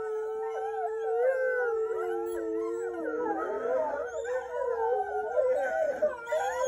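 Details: Several gray wolves (Canis lupus) howl together, long smooth tones that bend and waver and overlap into a chorus.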